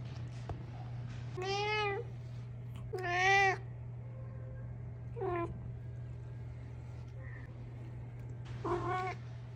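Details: Domestic cat meowing repeatedly indoors: five short, wavering meows spread over about nine seconds, some bending up then down, a faint chirp between, all over a steady low hum and light background noise.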